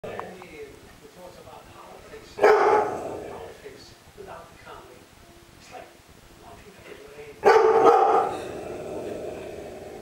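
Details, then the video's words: A Rottweiler gives two deep, loud barks several seconds apart, barking at an unfinished painting of himself, with quiet murmuring between. "Rottweiler barking Orkanens Muscle Machine"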